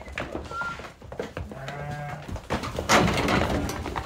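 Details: Pregnant ewes newly brought in: a single low, nasal bleat with a steady buzzy tone, held for about half a second in the middle, among clattering, shuffling and background human voices.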